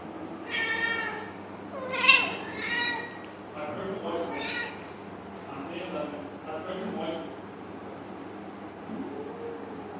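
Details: Kittens meowing for their owner to get attention: three short harmonic meows in the first three seconds, followed by softer calls mixed with Bengali speech from people nearby.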